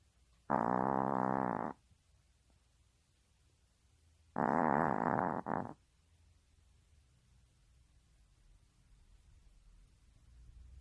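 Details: Domestic Maltese asleep and snoring: two loud, gravelly breaths roughly four seconds apart, the second ending with a brief extra snort, then several seconds of near silence.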